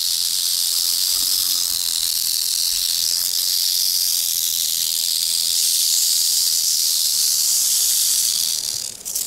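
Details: Rattlesnake at its den in Montana, captured close up with an action camera: a continuous, high, dry buzzing rattle, loud and even throughout, fading abruptly at the very end.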